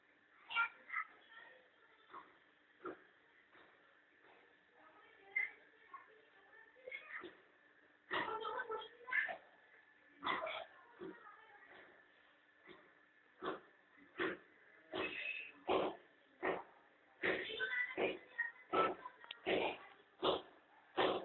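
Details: House cat and her playful kittens sunning themselves at home; a long run of short, repeated mews and squeaky calls, roughly one or two per second, growing busier toward the end, with a faint steady hum underneath.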